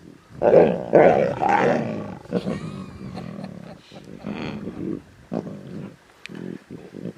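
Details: Lion cubs feeding on a zebra carcass in the Timbavati, snarling intensely: loud harsh raspy bursts open the clip, followed by softer broken growls and rumbles trailing off.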